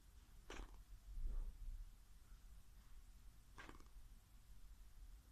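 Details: Sleeping whippet snoring, lips flapping; two soft breathy snorts about three seconds apart over a low rumble, indoors.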